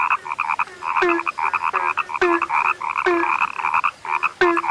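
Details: Rare frogs croaking together: a busy run of nasal, ringing calls with a falling low note after each loud click, spaced about a second apart, other croaks filling the gaps between.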